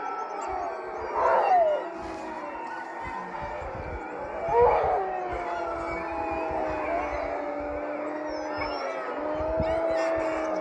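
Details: Several sled dogs at a sprint-mushing kennel in Duluth, Minnesota, howl together in long, wavering tones that rise and slide over one another.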